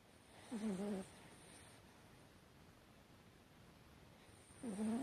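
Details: Hatchi the Chihuahua snoring while sleeping, recorded 12 September 2018: two drawn-out whistling snores, each about half a second with a wavering, warbling pitch, separated by a long quiet pause in a calm room.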